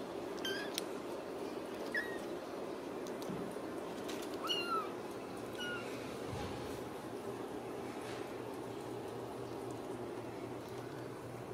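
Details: Ragdoll kittens raised in a home cattery in central Kansas, uncaged: a few short, thin, high kitten mews, some slightly rising, scattered over steady room hum with soft handling noise.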